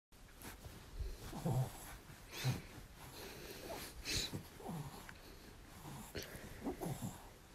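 A French Bulldog grunts, snorts and wheezes in short, low bursts while asking for cuddles.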